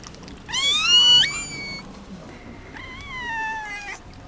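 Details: Newborn Mame Shiba Inu puppy, umbilical cord still attached, just after birth at a kennel in Japan; two high, thin squealing cries, the first wavering and bending over about a second, the second steadier and falling, with faint room noise.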